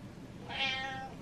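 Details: Butters, a pet cat wanting attention, gives a single short meow indoors, a bright tonal cry with stacked harmonics rising then easing off, while his owner talks to him in a small room.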